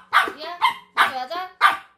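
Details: White Pomeranian, a pet female, playing a paper-cup shell game with its owner indoors: four short, sharp, tonal barks, some trailing into a brief whine, spaced about half a second apart, with a person's voice nearby.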